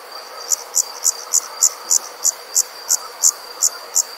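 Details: Night insect sound: a rapid series of short, shrill chirps repeated roughly three times a second, a dozen in four seconds, above a thin constant high tone and low hiss.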